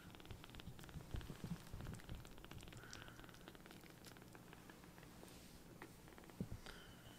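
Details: Tiny rescued palm-sized kittens purring loudly while being affectionate, also sucking on fingers; a low, rough rumbling purr fills the recording, with faint clicks and small rustling noises scattered throughout.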